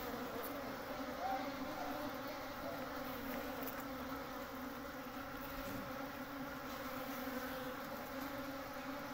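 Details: A natural honey bee nest where the colony builds comb and stores honey. The continuous hum of massed bees stays level throughout, with a few faint high ticks.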